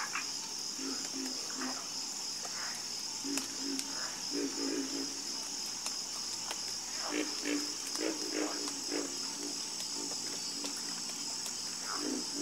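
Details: Frog chorus of short low croaks and raspy chirps, sparse at first and then thickening into rapid runs of notes, all layered over a persistent high-pitched buzzing drone.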